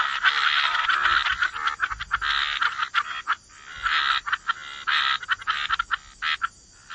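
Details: Chorus of frogs at the waterside: clusters of rasping croaks broken by short quiet gaps, bursts bunching together then pausing, with a soft low thump now and then.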